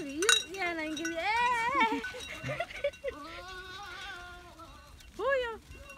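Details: Goats on a farm bleating loudly: a chorus of long, harmonic, wavering bleats with several animals calling over one another, a drawn-out steady bleat near the middle and a sharp rising bleat near the end.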